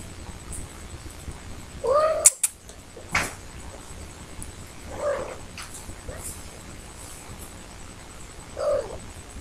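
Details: Adult domestic cat sitting at a door wanting to go out, meowing in the background: three short arched meows spaced about three seconds apart, with clicks and light rustling nearby.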